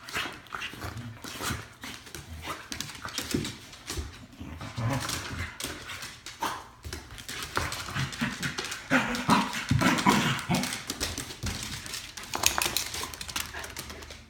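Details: Two pet dogs indoors in a small room, giving irregular whimpers and short vocal sounds, with rustling and handling noise throughout.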